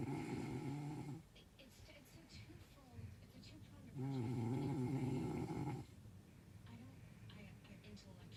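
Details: A dog sleeping through the night snores in deep, buzzy, wavering drones, each roughly one to two seconds long, separated by quieter stretches of soft breathing.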